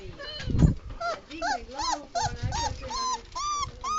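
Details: A little puppy, one of five, crying because it has not adapted to a new place made for it; thin whining cries rise and fall in pitch, several per second, with a soft thump early on.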